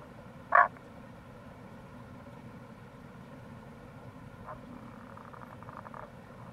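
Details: April recording of Tago's brown frog near a gorge at the Kamo River, Itoshima, Fukuoka, Japan: a single loud clipped croak early on, then faint distant pulsed calls, against continuous stream noise.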